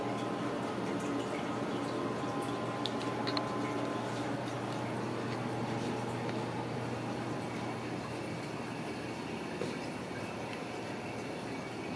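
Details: Steady running and dripping water fills the room, with faint speech in the background and no animal voice.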